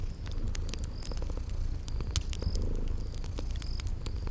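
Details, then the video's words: Soft, continuous low purring from sleeping cats, mixed with popping fireplace crackles and short high cricket chirps in a cozy spring garden setting. "Relax with Cute Sleeping Purring Kitties"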